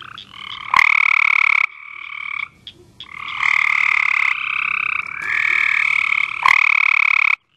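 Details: Night chorus of Cope's gray treefrogs: loud buzzy pulsed trills running almost continuously, two or more frogs overlapping, broken by brief gaps and a couple of sharp clicks, ending abruptly.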